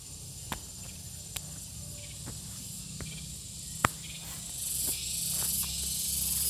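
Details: Continuous shrill buzz of a gareng pung cicada, flat and unvarying and swelling slightly toward the end, broken by several sharp clicks or taps and a low background hum.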